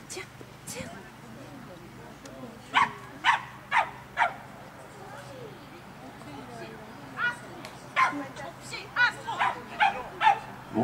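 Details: Cavalier King Charles Spaniel at an agility course, giving short, sharp barks: a lone bark, then a run of four, a pause with faint background murmur, and a faster string of about eight barks to finish.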